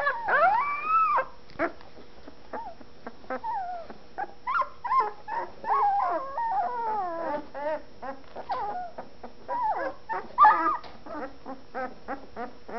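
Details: Litter of fawn Anatolian Shepherd Dog pups a week old, eyes not yet open, beginning to vocalise: long wavering howl-like squeals, sliding whines and quick chirpy yips tumbling over one another throughout.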